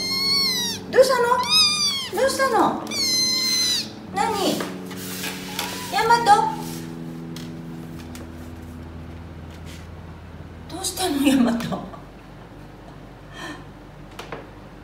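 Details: A young pet cat with wildcat ancestry, kept by a family in Paraguay, appeals insistently with loud, arching meows roughly every second for six seconds, then one more after a pause, over a low indoor hum.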